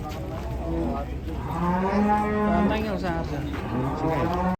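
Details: One sustained, level bellow from cattle becoming enraged at the moment of sale, lasting about a second and a half with strong harmonics, then fading into background noise.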